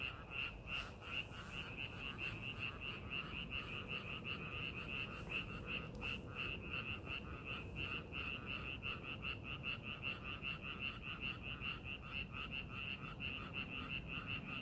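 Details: Frogs calling in a rice paddy being prepared for farming, a dense chorus of short pulsed croaks repeated rapidly, about two or three per second, overlapping voices forming a steady trill over low rumbling background noise.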